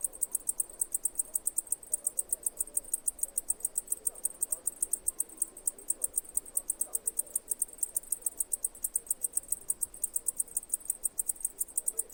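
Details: Cicada chirping: a steady train of short, high, sharp pulses, roughly seven each second, running evenly for the whole stretch over a faint low background hiss.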